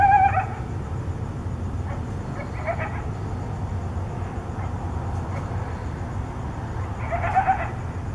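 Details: Coyotes give short, wavering yelping contact calls at night in Tucson, at the start and again near the end, over a constant low rumble.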